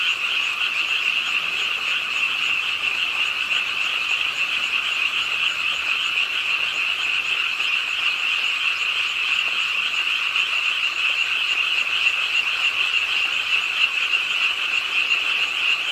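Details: Chorus of frogs croaking at a pond in an urban art park in Suwon, South Korea, on a rainy late night; dense, steady overlapping trill-like calls form an unbroken wall of sound, with rainfall beneath.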